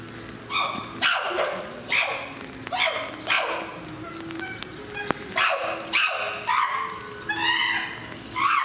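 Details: Chimpanzee in a zoo enclosure at Higashiyama Zoo and Botanical Gardens, Aichi, Japan, 18 November 2017, giving a rapid series of harsh, rising, barking and screaming calls, repeated roughly every second, over steady background hum.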